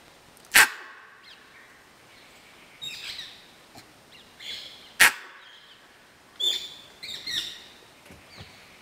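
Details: A mother gray langur in the forest gives sharp, explosive bark-like alarm calls, with softer harsh calls between, aggressively at a leopard, which retreated after the calls.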